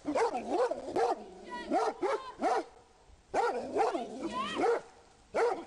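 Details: Rhodesian Ridgebacks raising the alarm about a man hiding among trees in a public park: loud, harmonic barks in quick bursts of two or three, about nine in all, with brief pauses between the bursts.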